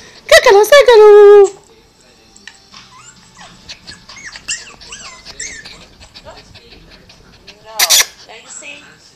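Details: Pet dog crying along to another dog's cry, opening with a loud long wavering howl falling in pitch, followed by softer whines from the other dog's recording and a sharp burst near the end.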